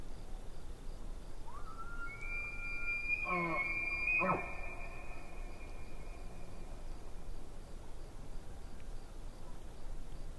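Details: Far-off elk beside a lake: a rising whistle that jumps higher and holds, with a brief burst of low grunting pulses under it, then fading into steady broadband background hiss.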